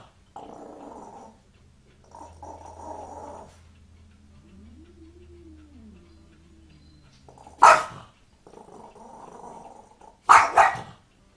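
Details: A dog growls low and rough, then lets out two sharp, loud barks a few seconds apart, before being scared by a cat.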